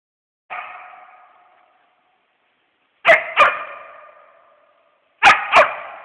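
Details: West Siberian Laika treeing a squirrel while hunting: one drawn-out bark, then two quick double barks about two seconds apart. Each bark rings on in a fading tail over a silent background.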